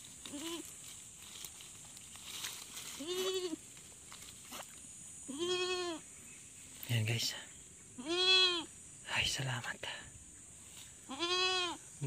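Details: Goat on a farm just after giving birth, the newborn alive, calling with repeated wavering bleats about every one to three seconds, rich harmonics, short clicks between calls and a constant high hiss behind.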